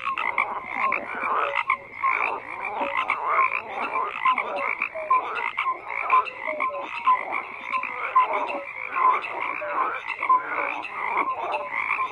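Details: A continuous chorus of croaking frogs, raspy pulsed calls layered with short whistled blips, keeping an even, busy texture throughout with small swells in volume.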